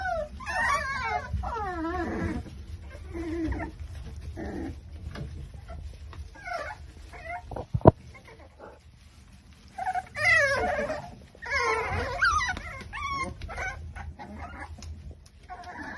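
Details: Five-week-old Exotic Micro Bully pups in a litter, Buffalo, New York, whining in bursts: wavering, up-and-down squeals cluster early, a quiet gap with a single sharp knock follows, then a fresh flurry of yelping whimpers.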